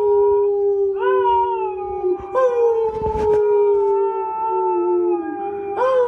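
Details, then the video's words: A Siberian Husky howls along with its owner during a break from playing music: a long, steady howl that dips and swells slightly in pitch. "Siberian Husky Howl"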